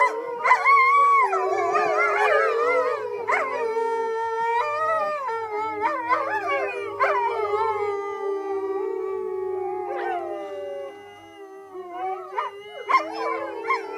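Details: Sanctuary wolves, rescued and partly of dog descent, howling in February 2013: long sliding howls layered over one another, broken by sharp yips, the chorus thinning toward the end before brief calls return.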